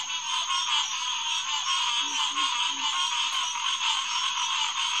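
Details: Green tree frogs (Hyla cinerea) in full chorus at Headquarters Pond, SMNWR, on the night of June 2, 2021, around 9:10pm: a dense, continuous wall of overlapping nasal calls, with three low croaks near the two-second mark.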